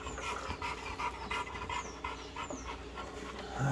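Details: American Bully dog during focus training; rapid rhythmic panting breaths continue throughout, with a man's voice nearby.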